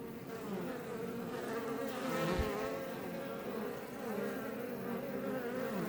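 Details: Many Iberian honey bees outside a Langstroth hive near Roquetes, Catalonia, Spain, heard at close range: an unbroken droning buzz, swelling slightly midway as bees pass the recorder, with a short low thump.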